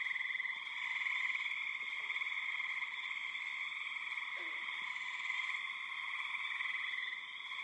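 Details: A dense chorus of many spring peepers, high piping notes blending into a loud, steady, shrill ringing, with birds and insects also calling.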